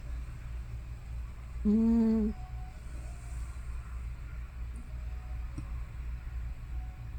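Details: Elderly house cat Hana, around fifteen or older, making a single short, even, tonal murmur of about half a second while asleep; otherwise soft low background rumble and faint clicks.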